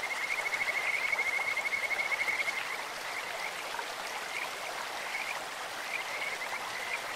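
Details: Kajika frogs calling in a clear stream: a fast, whistled trill of rapid pulses steady in pitch runs for about two seconds, then fainter scattered notes follow, all over a constant rushing of water.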